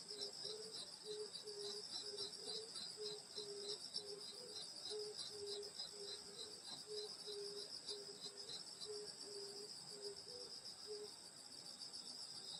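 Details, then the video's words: Summer night insect chorus at a grandmother's countryside home: dense, steady high buzzing bands with pulsed trills above, plus a lower chirp repeated about twice a second through most of the stretch. "여름소리 풀벌레소리 시골밤소리"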